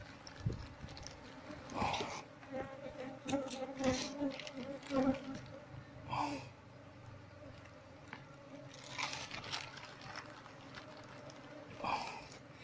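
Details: Asian honey bees (Apis cerana) from a damaged wild nest being moved to a hive box by caging the queen; steady low hum of the colony under intermittent handling noises and a human voice.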